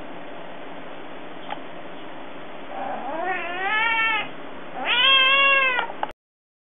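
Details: Cat asking for food, indoors: two drawn-out harmonic meows, the first rising then falling, the second louder and longer, each about a second, after a quiet stretch with faint clicks.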